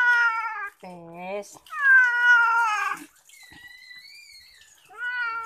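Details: Domestic cat being bathed, giving loud drawn-out meows: a long wavering cry, a lower short one, then a long bright meow, with a quieter rising call and another meow starting at the end, in a small room.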